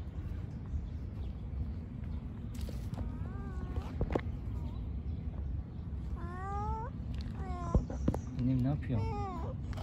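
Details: Mother cat living with her kittens in a park, giving drawn-out wavering meows in three bouts over steady low background rumble, with a woman speaking Turkish nearby.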